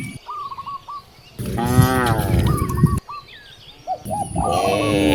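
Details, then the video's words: Hungry cows in a village beside vast rice fields: one long, deep, drawn-out moo swelling and fading over about a second and a half, with a second shorter moo near the end and small birds chirping in repeated quick notes throughout. "The sound of hungry cows mooing towards the vast rice fields"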